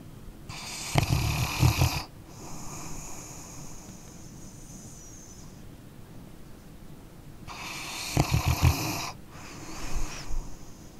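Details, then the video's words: Sleeping dog snoring: two long, rasping, low snores about seven seconds apart, each followed by a softer, breathy, hissing exhale, with quiet steady breathing in between. "Dog Snoring Sleeping Canine"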